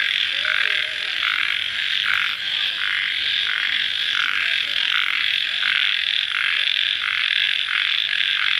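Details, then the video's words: Night chorus of crickets shortly after rainfall, a steady high-pitched shrilling wall of sound pulsing in regular beats about every half second to second, with faint lower chirps underneath. "Suara Jangkrik Dimalam Hari Sesaat Setelah Hujan"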